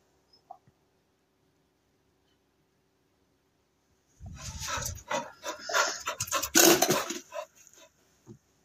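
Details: A female Cocker Spaniel during place-board training gives a run of quick, rough barks and whiny yelps after a quiet start.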